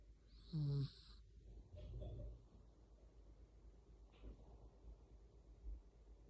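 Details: Yorkshire Terrier dozing in someone's arms: one brief, buzzy, humming snore near the start, followed by softer rustling breaths and faint murmurs in a quiet room.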